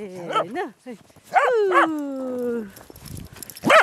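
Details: Snow-playing Corgi yips twice, then gives a drawn-out whining bark that sinks in pitch, followed by soft rustling and a final loud yelp.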